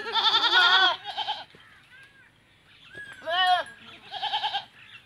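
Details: Teddy goats during first-time mating in a Punjab, Pakistan village; a long, loud, quavering bleat, then a short pause and two more trembling bleats.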